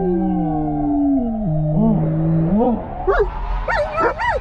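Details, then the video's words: German Shepherds in a car cruising through Albuquerque, New Mexico, howling as a fire truck with sirens passes. Long, steady, layered howls from more than one dog turn into higher, wavering, yodel-like cries, over low engine rumble. "German Shepherds React when Sirens Go Off!"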